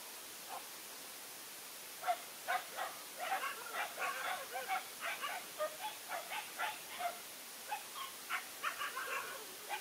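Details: Big Asian dog waiting for a battle, giving a long run of short, sharp yapping barks, quick and uneven, bunched in rapid bursts across about eight seconds against a steady outdoor hiss.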